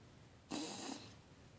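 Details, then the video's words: Helmer, a bulldog in deep sleep and dreaming, gives a single rasping, breathy snore lasting about half a second. Quiet room tone comes before and after it. "Bulldog dreaming and snoring"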